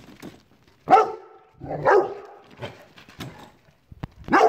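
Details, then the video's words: Rottweiler reacting to a chair, giving loud harmonic barks and yips in short bursts with a rising tail, separated by quieter rumbling sounds. "Rottweiler vs chair"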